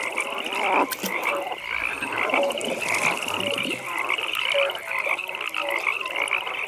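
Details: Croaking frogs at a pond after dark: a steady high-pitched pulsed trill carries over a mix of short, irregular lower croaks from several callers.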